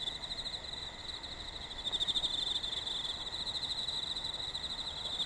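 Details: Autumn insects singing during a hot late summer; a dense, continuous high trilling chorus holds steady at one shrill pitch with a fast pulsing rhythm throughout, with no other clear sounds.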